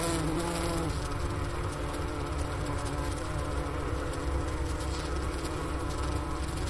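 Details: A steady, low, droning hum of a honey bee colony clustered inside its hive in winter, recorded near the inner-cover hole at Wooster, Ohio, around 4 PM on January 16, 2024, at 15°F outside.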